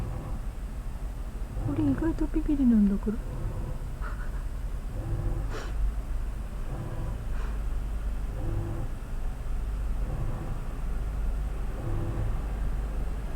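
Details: A drawn-out, falling meow from one of two house cats, an orange tabby named Sora and a black cat named Chitan, both spooked by the unfamiliar noise of a washing machine at home; a person talks gently to them throughout.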